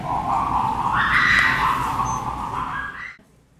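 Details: Kintaro, a young gorilla at Kyoto Zoo, Japan, 16 January 2022, angrily squealing at his mother Genki: one loud, sustained tonal squeal about three seconds long, rising midway, holding high, then sliding upward before stopping abruptly.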